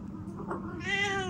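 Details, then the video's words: Domestic cat meowing in reply when called by a woman; a single rising-falling meow near the end, with a murmur of room noise beneath. "বিড়াল কী ভাবে মানুষের কথা বোঝে দেখেন"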